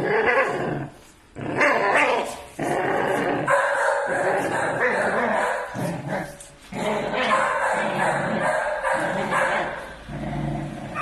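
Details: Village Pit Bull Terrier puppies aged six months in an angry fight, giving gritty, tearing growls mixed with abrupt barks, delivered in choppy clusters with short breaks between.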